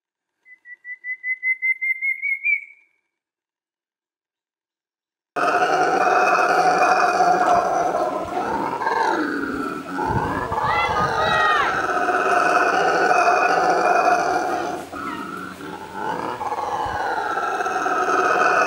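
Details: A solitary brown howler monkey that has occupied the same spot for years gives a territorial roar: a loud, deep, sustained rasping howl that rolls on without pause and carries hundreds of metres.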